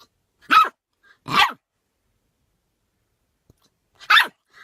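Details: Puppy with hiccups trying to bark them away indoors: three sharp, bright yaps spaced about a second or more apart, with a fourth starting at the end, and near silence between them.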